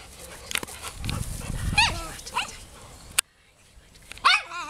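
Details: Golden Retriever found as a stray in Wołomin, giving short arched yelping whines with rising and falling pitch between a person's quiet spoken commands, followed by a sudden silence and then another whining yelp.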